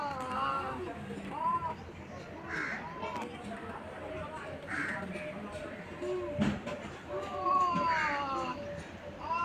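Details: Two cats fighting on a tin roof at noon, filmed on a phone: wavering, drawn-out yowls that rise and fall, returning several times over nine seconds, mixed with voices and scattered background calls.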